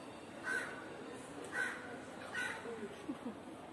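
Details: Hungry kitten meowing: three short, high, thin mews spaced about a second apart, fairly faint against steady background hiss, with a soft rustle near the end.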